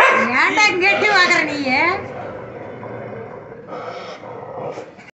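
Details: Two neighbourhood dogs barking at each other across a shared compound wall. Two seconds of loud, harsh, wavering snarls and barks open the recording, then quieter rough noise with a brief further outburst near the end.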